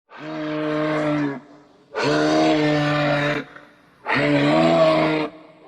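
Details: Moose (Alces alces), call.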